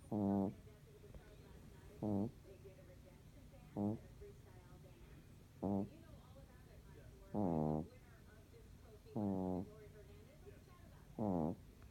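A Shih Tzu snoring: short, throaty, buzzing grunts repeating about every two seconds.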